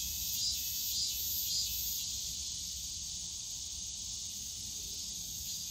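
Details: Yongsan Family Park bamboo forest cicadas in summer: a high, sizzling drone with a pulsing top layer throbbing about once per second early on, then settling into steady buzzing over faint background hum.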